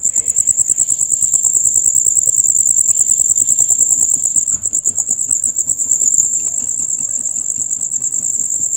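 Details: Male crickets in a loud rapid chorus heard from dusk until dawn; a dense, continuous high-pitched trill pulses steadily throughout, with many callers overlapping and faint low patter underneath.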